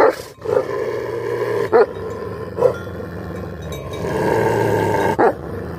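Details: Tibetan Mastiff, called Bhote dog in Nepal, a breed of the high mountains said to be endangered there. Deep, rough growl-like voice held low and steady, broken by several sharp, loud barking bursts.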